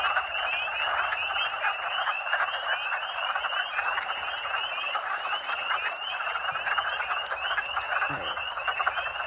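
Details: Mid-to-late March at vernal pools, days after a snowstorm: a dense chorus of wood frogs, their hoarse, duck-like clucks overlapping in a steady, rolling din, with spring peepers also present.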